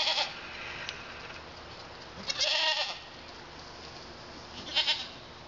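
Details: Male pygmy goat kids, born 27 February and starting on hay and oats but not fully weaned, give short, wavering bleats a few seconds apart, near London, Arkansas.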